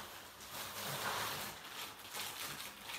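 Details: Steady broadband hiss and rumble, rising and falling in loudness, with no clear animal voice.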